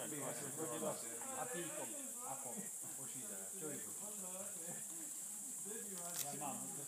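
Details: Several greater mouse-eared bats chattering at Ratkova, their quick, wavering, harmonic squeaks tumbling over one another, with a brief sharp click near the end and constant background hiss.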